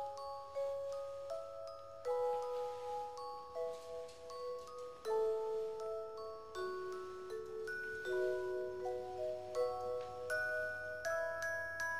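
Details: Bright chiming mallet-percussion music like a glockenspiel plays throughout, with no animal sounds. The melody moves in clear ringing notes over a faint low hum.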